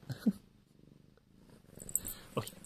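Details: Siamese cat purring: a soft, low, steady rumbling pulse running through the whole stretch, with a couple of brief louder sounds near the start and the end.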